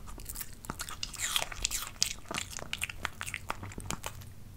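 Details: Dog tasting different types of fruit, crunching and biting in close-up indoors: dense bursts of crisp crunches and wet chewing clicks, irregular and rapid, with brief pauses between bites.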